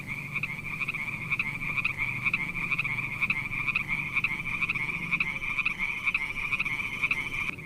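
Frogs calling at night in a steady, high, rapidly pulsed chorus with a low rumble beneath.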